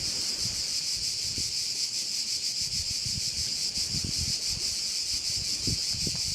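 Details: Bayside crickets on the Croatian island of Korčula produce a continuous sizzling high chorus that pulses rapidly, mixed with soft low rustling and wind noise.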